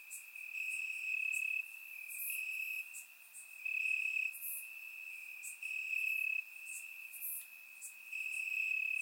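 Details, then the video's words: Crickets chirping in grass on a warm summer night in Bulgaria, captured with a surround microphone: a steady high trill with pulsing bursts that swell and fade every second or two, plus brief higher sibilant chirps from other insects. "Cricket Sounds - Crickets Chirping at Night"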